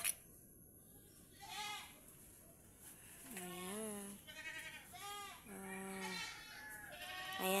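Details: Several bleats from tethered domestic pet goats in the Philippines: a series of shaky, vibrato-laden calls, each lasting about a second and coming in quick succession, with mild background hiss.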